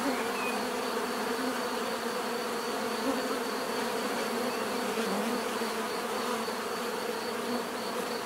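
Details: A swarm-like chorus of bees buzzing naturally, an unbroken, steady hum of overlapping wings at several pitches with a faint rhythmic high whine running through it.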